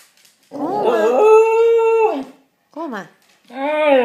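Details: Male Shikoku dog talking: a long, steady, howl-like tone with rich harmonics that rises at the start and holds level for about a second, then a short rising-falling yelp and a final warbling moan.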